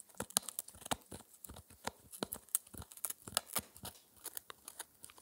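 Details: Spencer, a 4-month-old Shetland Sheepdog puppy, gnaws his daily dental treat, a raw air-dried ear. Crisp, rapid crunches and tearing snaps come in irregular bursts several times a second, with no talking.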